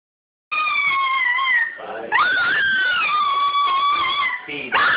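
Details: A small Toy Fox Terrier "sings" as it does whenever a certain TV commercial comes on: a sustained, high-pitched howl bending and sliding between notes, briefly breaking, then resuming with a rising, quavering wail.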